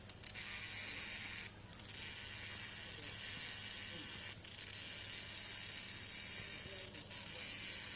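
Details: A cicada's loud, hissing buzz drones on steadily, broken by a few brief pauses, heard at night in the jungle.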